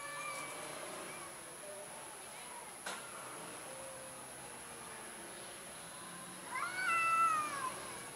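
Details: Fearful orange cat stays mostly quiet, with a single sharp click early on, then lets out one clear, rising-and-falling meow near the end.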